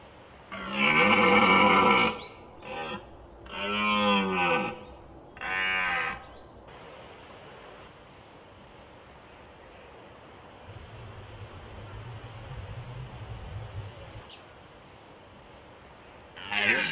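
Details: Red deer stag in rut, Small Fatra mountains, Slovakia, 2021, gives three loud, hoarse roars in quick succession over about six seconds. The middle roar rises and falls in pitch. A faint low rumble and quiet ambience follow.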